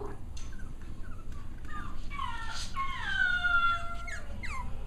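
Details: Six-week-old Cavalier King Charles Spaniel puppies during playtime: high, thin whimpering whines with rich overtones, some gently falling, others held level, clustering in the second half over a low steady rumble and faint clicks.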